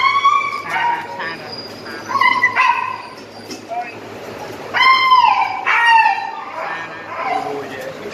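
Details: Tricolor Corgi with VKA registration papers and microchip, offered for breeding; high, whining yelps with bright stacked overtones rise and fall in short bursts near the start, middle and end, over a steady low background hum.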